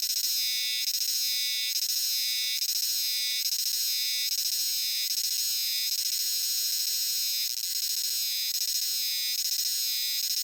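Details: Euterpnosia chibensis cicadas in full chorus in a dark shrine and temple forest, a dense buzzing 'jiwaa jiwaa' drone filling the high range and swelling in regular pulses just under once a second, with no other sounds.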